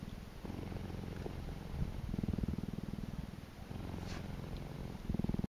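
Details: Samira, a cheetah at Naankuse in Namibia, purrs in a deep, steady rumble of rapid pulses that swells and fades with each breath.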